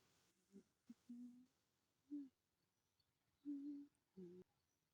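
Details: Protective cat in a home shared with two cats, giving a series of short, low, moaning calls in separate bursts with brief pauses, some rising then falling; quiet indoor room otherwise.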